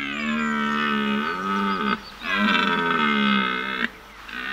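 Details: Male red deer roaring during the autumn rut, with the scent of females in the air. Two long, loud, rich harmonic bellows, each nearly two seconds. A brief gap separates them, and a third call begins at the close.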